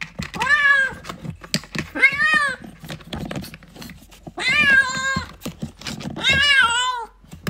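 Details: Kitten wanting its mother gives four insistent, wavering meows, the later ones longer and strained, separated by pauses of about one to two seconds, over a background of clicks and soft knocks.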